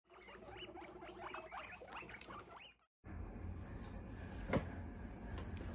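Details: Guinea pig in a cardboard box hidey house, giving a quick run of short squeaky rising chirps for about three seconds, then a cut to shuffling and rustling noises with one sharp knock.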